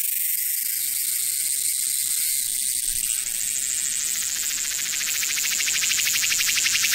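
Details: A cicada on Hwangnyeongsan mountain in Busan, South Korea, on 9 August 2019, sings a loud, shrill, steady high-pitched buzzing song, its abdomen resonating as it calls.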